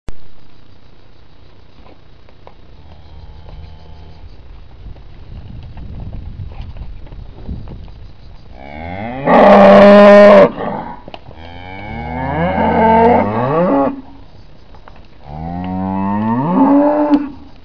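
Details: Hereford cattle from a herd of pregnant cows and yearling calves: three loud harmonic moos after about eight seconds of quiet rural background, the first the loudest and steady, the next two wavering and falling.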